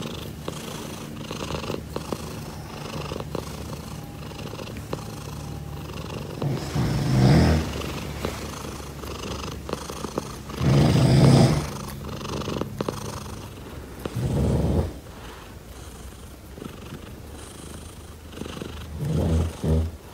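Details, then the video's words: Pet cat named Daisy purring in a continuous low drone, with several louder swells around seven, eleven, fourteen and nineteen seconds as the rumble strengthens between quieter stretches. "Lovely Cat Daisy Purring"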